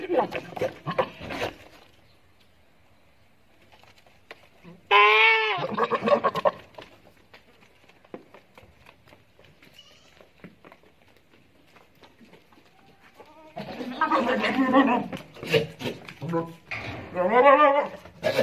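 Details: Boer crossbreed goat on a farm giving loud, wavering, harmonic bleats: one long quavering cry around five seconds, then a cluster of shorter bleats after a quiet stretch, with faint voices in the background.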